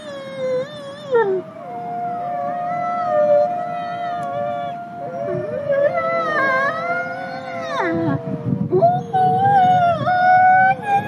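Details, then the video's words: Nikai, a captive-born gray wolf and ambassador wolf at the Wolf Conservation Center in South Salem, New York, howling with other voices joining: overlapping long tonal notes that bend, dip and rise, with shifting pitches and a rougher patch near the end. "Sleep. Howl. Repeat."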